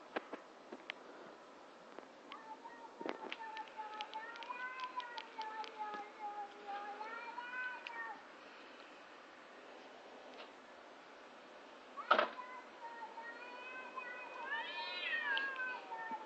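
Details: Two cats outside in front of a house making bizarre noises: long drawn-out harmonic yowls, wavering and rising, from about two to eight seconds and again near fifteen seconds, with a sharp click or knock around twelve seconds.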